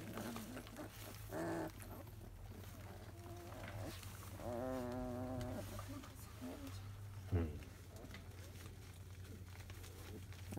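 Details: Grumpy 23-day-old field-line Labrador Retriever puppies squirming after their morning feed give short yelps, then a long quavering whine around the middle, and a brief sharp squeak later, against a constant low electrical hum.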